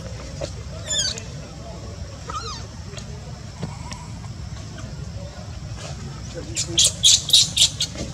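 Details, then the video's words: Newborn baby monkey Luno, whose mother Luna rejects him, gives a few thin, high, wavering cries early on over a steady low hum, followed by a cluster of sharp rustling bursts near the end. "Newborn baby monkey Luno crying cos mom"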